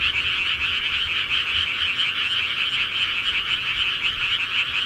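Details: Rural frog chorus, many callers overlapping into a continuous high, pulsing trill that never lets up; nothing else stands out.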